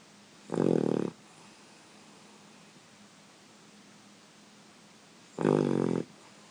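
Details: Sleeping puppy snoring indoors: two rough, buzzy snores, each lasting about half a second and roughly five seconds apart, with quiet breathing between.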